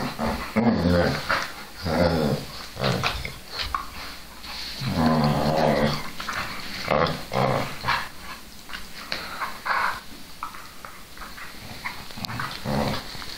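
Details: Whippets Milo and Gino indoors in a small room: repeated low, rough growls in bursts of one to two seconds, rising and falling in intensity, with short whimpering notes between them and some rustling and clicking.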